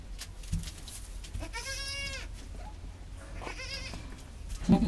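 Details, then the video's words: Mother goat with her newborn kids, just after birth: two tremulous, harmonic bleats, the first about a second long and a shorter second one, over a quiet low rumble with faint handling noises. "Momma goat just had her babies and makes the sweetest sound."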